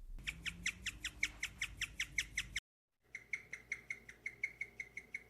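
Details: A guinea pig gives the rare, bird-like chirping vocalization in a fast, steady string of high notes, about four a second, in two bursts split by a brief silence.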